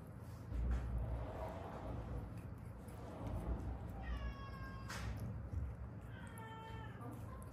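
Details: Stray cat from a rescued mother-and-daughter pair that lived seven years on the streets of Haeundae, with bones left set crooked after a traffic accident; two drawn-out harmonic meows, the second lower and longer, over a steady low indoor rumble.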